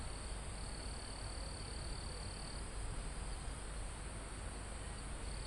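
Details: Crickets in calm forest high on a mountain, recorded live: one sustained high trill of about two and a half seconds, then another begins near the end, amid a steady shrill insect hum and wind on leaves.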